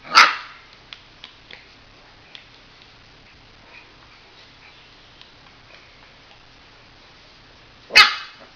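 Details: F1b Labradoodle puppies from Lucy's litter at play: two sharp, bright barks, one right at the start and one about eight seconds later, with long near-quiet stretches between them broken only by faint small ticks and shuffles.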